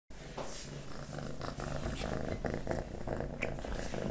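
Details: Kitten eating wet pate, stick and creamy cat treats indoors, recorded close up: a steady low purr-like hum runs beneath soft, irregular wet chewing and licking clicks.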